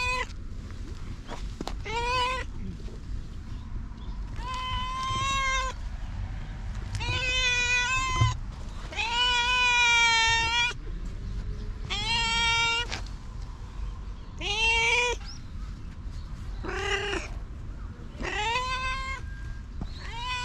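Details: Stray cats, Japanese street cats filmed on a GoPro, giving a long series of loud, drawn-out harmonic meows, some rising then falling, about one every two seconds, over a low background rumble.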